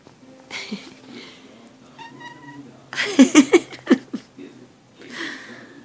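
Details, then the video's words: Tsuki No Kage, a female kitten, talking in her sleep: faint murmured mews, then a quick run of five short chirping, meowing bursts, with a soft final murmur. Television voices play quietly in the background. "my sleep talking kitten"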